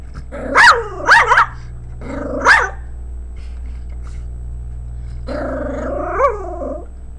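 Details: A female pet Pomeranian barks at her own image on a screen, giving sharp, high yappy barks in quick bursts, then a drawn-out whiny grumble.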